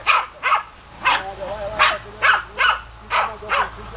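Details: German Hunting Terrier (Deutscher Jagdterrier) barking: sharp, harsh barks repeated roughly every half second, eight in a row with short gaps, clear and close with little background.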